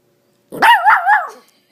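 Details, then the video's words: Female miniature Dachshund asking for her ball during fetch; one wavering, howl-like vocal bark that rises and falls three times within under a second, bright and loud. "Dachshund speaks and plays fetch"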